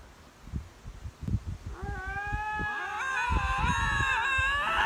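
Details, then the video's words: Lynx vying for territory: after a few seconds of low thumps and rustling, a drawn-out harmonic howl begins and holds level, swelling louder toward the end with several wavering tones layered together. "Linx vying for territory, lynx howl, lynx meow"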